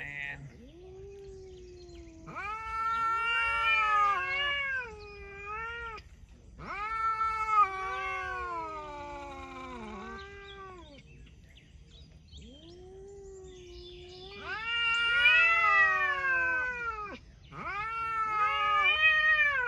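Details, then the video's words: Cats talking in a series of long, wavering, whiny meows, some rising and bending, in several bouts separated by short quiet gaps, with faint background hiss. "Cats talking"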